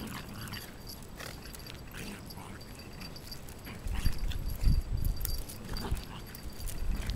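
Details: A Shiba Inu, irritated by a persistent younger dog's pestering play, fights back with low rumbling growls and scuffling noises in rough, irregular bursts.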